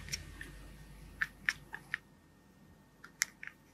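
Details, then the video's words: A domestic cat chatters in quick, clicking bursts. Chattering almost always happens when a cat is fascinated by prey it sees but cannot reach, such as a bird or rodent outside a window. "cats chattering almost always happens when a cat is fascinated by a visual stimulus such as a bird or rodent outside a window"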